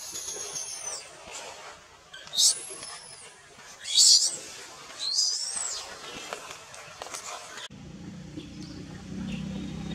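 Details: At Angkor Wat in Cambodia, a wild baby monkey clinging to its mother's back protests being denied milk with a string of piercing, high-pitched squeals that rise and bend, some drawn out, then a steady background hum.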